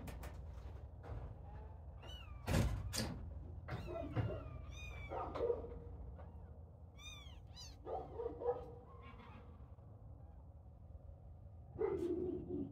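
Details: Little kittens at play give a run of high, thin mews that arch up and fall away, several overlapping in quick bursts, mixed with sharp knocks and thumps from their play over a low steady background rumble.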